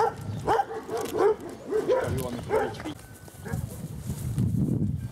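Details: Two female Kuvasz dogs out on a walk; a handful of short, harmonic barks over the first two and a half seconds, then low rustling and shuffling noise with the barking stopped.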